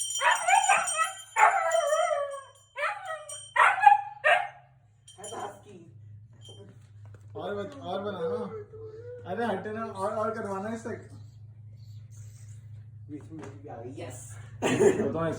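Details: Husky howling in response to a loud bell, high-intensity sound: a run of short wavering yowls in the first seconds, then quieter lower warbling cries, a steady low hum throughout and a sharp burst at the end.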